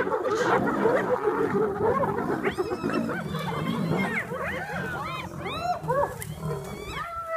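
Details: Hyenas clashing with lions over a buffalo kill in South Africa's Kruger National Park: a dense low rumbling din gives way to a chorus of overlapping arched yelps and whoops rising and falling in quick succession.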